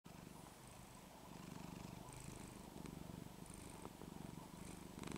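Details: A domestic cat on a cold winter day in Texas goes into "turbo purr" while her scruff is gently shaken and pulled back, purring loudly and steadily, a low rapid rumble pulsing several times a second.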